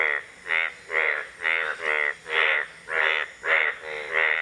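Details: Indian bullfrog calling with a steady series of nasal, bleating notes, each a short rich buzzy burst, repeated about twice per second with even gaps.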